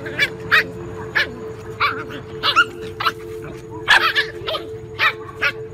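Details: Puppies fighting big dogs for food; sharp, short barks and yips repeated roughly every half second over a steady hum.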